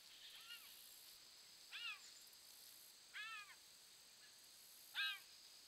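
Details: A bobcat kitten crossing a bridge, caught on a trail camera, gives four high, thin mews that arch up and then fall, spaced about a second and a half apart.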